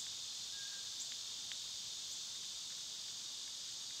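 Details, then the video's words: An even, piercing hiss of summer cicadas continues unbroken, while faint clicks and a short thin bird note flicker quietly under the insect wall. "Cicada sounds"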